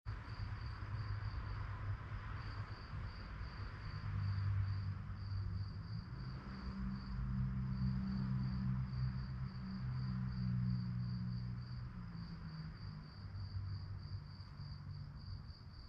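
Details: Crickets chirping at night: a steady, high, pulsed chirp repeated about three to four times per second, running throughout beneath a loud, low rumbling hum that swells and fades.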